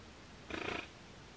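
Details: Giant otter; alarm call; warning of danger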